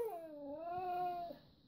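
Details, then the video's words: Female red Siberian Husky indoors, vocal and talkative as she asks for treats: one smooth, drawn-out whining tone about a second long that dips, then rises and levels off before stopping abruptly. "Red Siberian Husky : Naughty Nenya Wants Treats"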